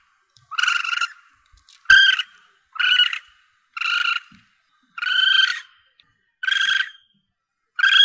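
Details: Calls of a young Asian palm civet, used as a hunting lure; seven rough, nasal mewing cries at about one-second intervals, steady in pitch, with quiet pauses between.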